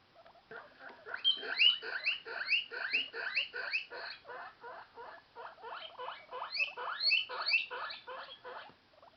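A guinea pig gives a rapid run of high, rising squeaks, the wheeking it makes when hungry.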